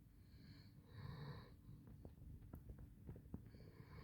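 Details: Basset Hound Handsome Jack snoring in sleep, two wheezy rasping breaths early, a quieter stretch with small clicks, then another snore beginning at the end.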